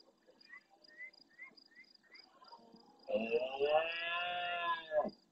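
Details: Red deer stag by the camera of the Francisco Bernis Ornithological Centre, El Rocío marsh, Doñana, Spain, roaring at nightfall to answer distant stags; faint high chirps repeat about every half second before a deep, loud two-second harmonic roar.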